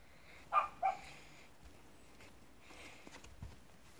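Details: Puppies from Cotton's litter, filmed on 6 June 2016: two short, high whimpering yelps close together near the start, then faint shuffling and soft knocks in a quiet room.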